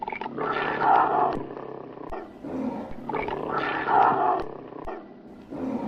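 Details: Tiger, angry and fighting: repeated rough, throaty roaring snarls in bursts about every one to two seconds, with a grating, mid-pitched tone throughout.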